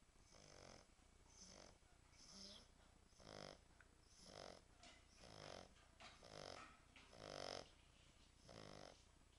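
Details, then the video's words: Snoring French Bulldog, loud raspy breaths about once a second, irregular in strength, some ending in a whistling wheeze, over a constant low hum. "Französische Bulldogge Tyson schnarcht French Bulldog snoring"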